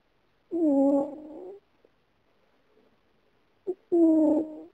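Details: A she-cat dozing and dreaming that she flees gives two sustained, slightly wavering snore-moans about a second long, with a brief click and near silence between them.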